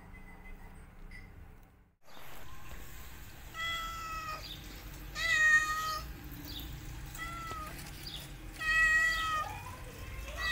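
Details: Kittens meowing loudly while their mother cat teaches them to walk; several high, harmonic meows rise and fall in short bursts, some overlapping, with background hum between calls.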